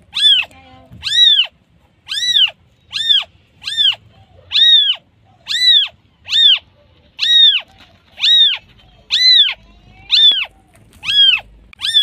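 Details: Calling for its mother, a newborn kitten repeats thin, piercing mews about once per second, each arching up and down in pitch, fairly regular, with little else audible.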